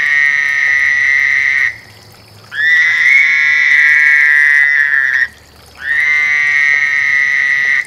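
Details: A mating frog's sustained, high, rattling trill runs in three long bursts, the middle one fuller and slightly overlapping, with brief silences between.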